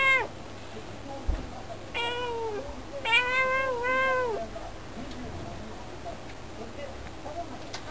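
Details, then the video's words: A talkative house cat at the window: a clipped meow, then a drawn-out bending one, then a long wavering meow lasting over a second. Softer murmurs trail off afterwards. Low steady indoor hum throughout. "しゃべる猫 - vol.7 - 「さむいね～」"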